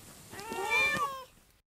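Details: A single drawn-out meow from a pet cat, one of three household cats each with its own voice, rising and then sliding down, lasting about a second before fading out.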